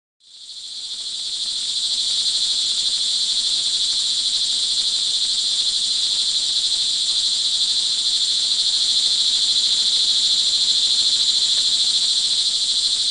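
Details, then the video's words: Crickets recorded in the rain early evening on June 24, 2011, in Montalban, Rizal, Philippines; a dense, steady high-pitched trilling chorus fades in within the first second, then holds unbroken, with a bright main band and a fainter higher band. "sound recording of crickets in the rain"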